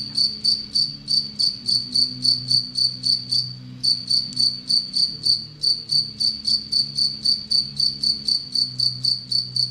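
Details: Captive Anadrymadusa retowskii, a relatively aggressive bush-cricket that preys on Anacridium aegyptium, stridulating: high, dry pulses repeated steadily about four times per second with one brief pause, over a faint low hum.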